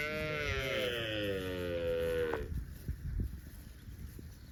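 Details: Cow roaming in the fields, giving one long harmonic moo of about two and a half seconds that slides slightly downward, then stops abruptly, leaving faint rustling and low background noise.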